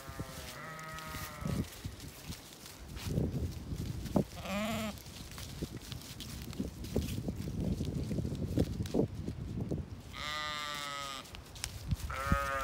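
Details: Zwartbles sheep flock on a farm in County Kilkenny, Ireland, as light falls, following the farmer around the field expecting supper; loud nasal wavering bleats from several ewes, spaced through the recording, with footsteps and rustling between.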